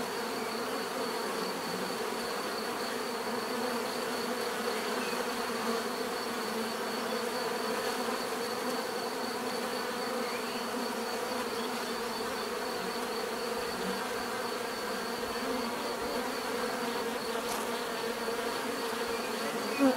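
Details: Steady swarm hum of bees, natural buzzing that stays level and unbroken, several droning layers blending into one mass; a single brief click near the end breaks the otherwise constant sound.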